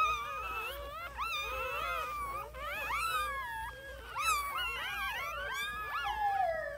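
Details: Chorus of newborn puppies, many thin squealing whines overlapping, sliding up and down in pitch, some long wavering cries, steady throughout with no other sounds.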